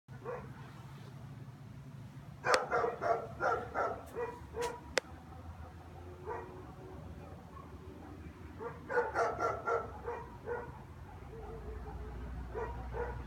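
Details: German Shepherd barking at nothing on a Monday afternoon, January 11th, 3:15, with nobody walking down the street, a daily afternoon habit; two bursts of deep, harmonic barks around three seconds and nine seconds over a steady low hum.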